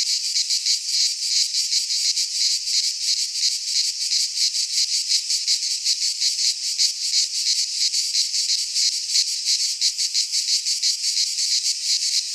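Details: Chorus of cicadas singing in a Greek pine forest during midsummer, a bright continuous metallic buzzing that pulses rhythmically about three times per second from start to finish.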